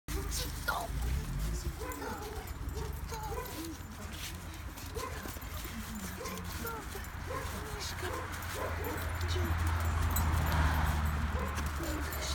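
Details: A female cocker spaniel puppy whines and whimpers excitedly in short, rapid bursts while greeting her owner after not seeing him for a few days.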